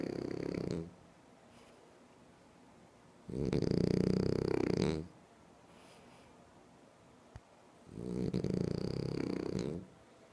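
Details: A French Bulldog sleeps and snores steadily: three harsh, buzzing inhalation snores at regular intervals of about four to five seconds, rough and fluttering, with a single faint click in the quiet gap.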